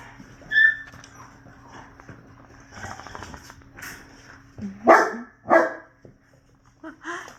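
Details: Six-week-old American Bully puppies harassing their father, a litter of three males and five females. Quiet grunting and shuffling, then two sharp yelps near the fifth second and another short yelp close to the end.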